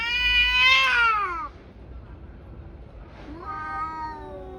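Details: Tabby cats brawling; a high, piercing yowl swells and slides downward, falls silent briefly, then a second wail rises and levels off, quieter and more drawn out.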